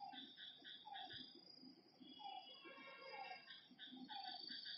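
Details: Frogs calling at night by a lake: a dense chorus of overlapping short, nasal, harmonic notes repeated in quick bursts, several callers at once, with a high steady insect-like buzz above them.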